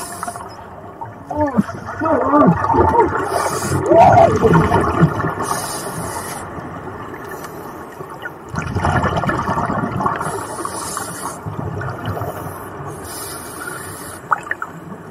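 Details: Underwater near scuba divers off La Jolla, a gray whale close by gives low moans and grunts, with bubbling and gurgling water.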